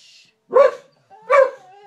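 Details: Heyoka, a pet dog that screams rather than barks or howls, reacting on seeing a cat: two short, harsh, shrill bursts about three-quarters of a second apart, with a quiet pause between them.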